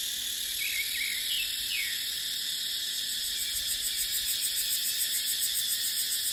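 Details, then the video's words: Cicadas in dry dipterocarp forest during the dry season: a dense, steady high-pitched shrill chorus with a fast pulsing overtone, and a few brief chirping bird notes dropping in pitch around the first two seconds. "เสียงจั๊กจั่น สายลม ในป่าเต็งรังยามหน้าแล้ง"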